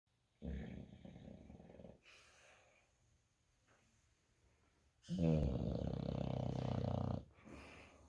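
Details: American Bully dog snoring while asleep on a bed, low rumbling snores in two bouts, the second loud and harsh lasting about two seconds, quiet breathing between them indoors.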